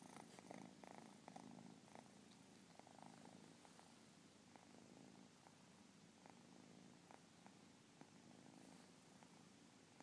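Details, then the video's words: Soft, evenly pulsing purr of a Persian kitten, a low vibrating drone repeating in roughly one-second surges, accompanied by faint clicks and a steady background hiss. "Persian Purr"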